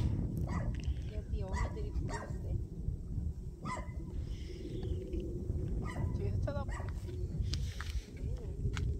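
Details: Puppies in rural Taean, Korea, on a winter day, delighted to see people while their mother seems worried, let out brief high whines and yelps among people's chatter, with constant low wind noise.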